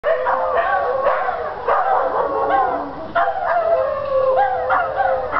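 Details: Several dogs, three of them from one household, howling together with dogs in neighbouring yards, a chorus that happens at least once a day; overlapping long wavering howls slide up and down in pitch, with short sharp yelps cutting in.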